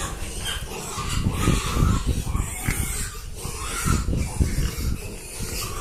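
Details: Pig grunting while being given rice; a rapid run of low, rough grunts, about three per second, with broadband crackle and rustling throughout.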